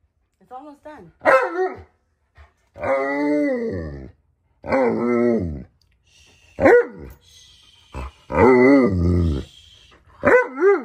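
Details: Impatient Alaskan Malamute named Tonka protests while breakfast cools. Long, wavering howl-like moans rise and fall and are broken by sharp, higher yelps, with pauses between outbursts and a person talking.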